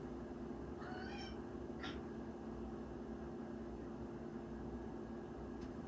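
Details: A male Ragdoll kitten, born 22 September 2025, gives two meows a second apart indoors in the morning, likely begging for food, the first drawn out and wavering, the second short and bright, over a steady indoor hum.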